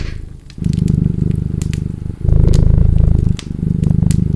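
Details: Cat purring beside a crackling fireplace: a deep, steady, pulsing rumble that starts about half a second in, breaks briefly near the two-second mark, then resumes louder, with sharp fire crackles and pops over it.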